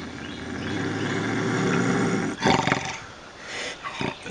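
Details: Intense bobcat growl played to keep raccoons away: a rough, rumbling, broadband snarl holds steady for two seconds, then breaks into short, louder raspy bursts.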